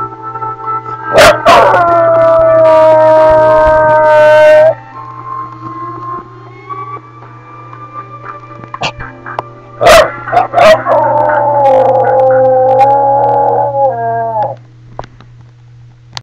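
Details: Boston bulldog singing in drawn-out, mournful howls. A steady held tone is followed by a long, slow, rising glide. The howls then resume, louder and wavering, with a few sharp clicks mixed in.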